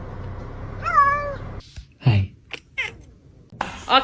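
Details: Kitten meowing: one clear wavering meow early on, followed by short scattered clicks and a brief rising cry near the end, with a low background hum.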